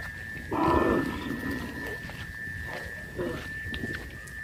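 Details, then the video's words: Village cows roaming freely; one loud, hoarse low moo lasting about half a second, followed by a fainter shorter call, over a steady high electrical whine and outdoor background. "Sound of cows"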